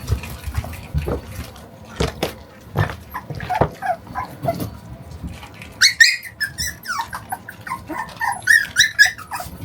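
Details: Shiba Inu puppy, 41 days old, playing tug-of-war with its owner and shaking its head hard. Scuffling and thumping handling noises come first, then a burst of high squeaky yips and whiny growls in the second half.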